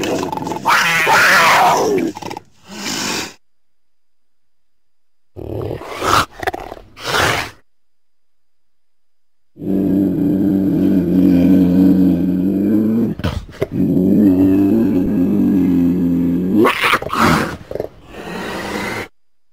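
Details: Cougar, also called mountain lion, giving a long, low, harmonic yowl lasting several seconds, preceded by shorter rough bursts and separated by brief silences.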